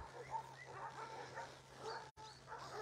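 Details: Abandoned female puppy with many ticks crying outside Takis Shelter; repeated high, thin whines and squeaky yelps, bending up and down in pitch, coming in bursts over a steady low hum.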